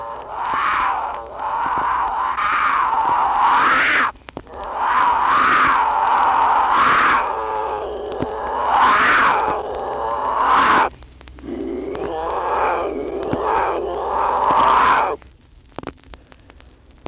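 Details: Mating cries of a female mountain lion from a worn wildlife-call record: a run of drawn-out wailing screams, each swelling and rising at the end, three long bouts separated by short breaks, with hiss and surface crackle throughout.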